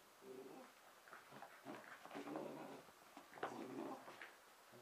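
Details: A 5.5-month-old red and white Pembroke Welsh Corgi named Emma at solo play inside on Christmas night 2009, making rapid throaty growling grumbles in overlapping bursts, with a sharp click or knock partway through.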